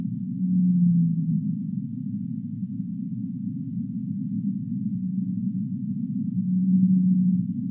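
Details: Humpback whale song with a downward-sliding low moan at the start and a brighter sustained tone near the close, separated by a dull, even rumble with only faint tonal traces.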